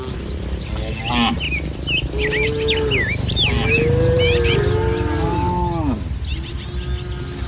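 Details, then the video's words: Village cattle herd in a green field, with several long, bending, tonal lows overlapping one another, mixed with busy chirping and whistling birds and a steady low background rumble. "Suara Sapi Moo"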